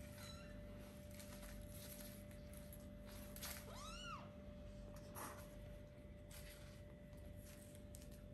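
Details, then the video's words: A kitten about four weeks old, just starting to play and look around, gives one clear high meow that rises then falls, with a fainter cry earlier and a soft thump, against a constant low hum. "Little kittens meowing and playing"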